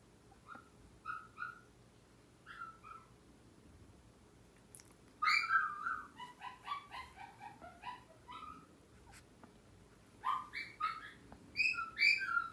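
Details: Indoor pet dogs, Yorkshire terriers and a Maltese, the younger crying and the older answering; quick high whimpering yelps in irregular bursts, some clustered, over a low room hum.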